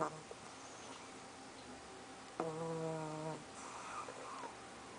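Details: Sleeping pug named Soffie snores once loudly for about a second, a buzzy nasal rasp with a whistled overtone, after a faint short snort; a quiet room hush fills the rest.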